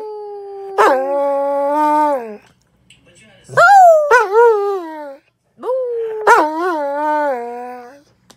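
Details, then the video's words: Dog howling in three long, mournful notes, each starting with a sharp rise and then held with a wobbling, slightly falling pitch, with short gaps between them. "Funny howling Dog"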